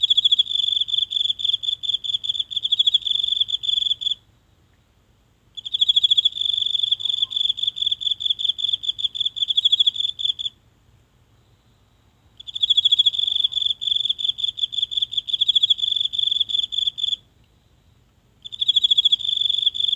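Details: A single insect singing at night from the grass of a small home garden, recorded close up on a phone; high, shrill pulsed trills lasting about four seconds, separated by pauses of about two seconds, in otherwise silent surroundings.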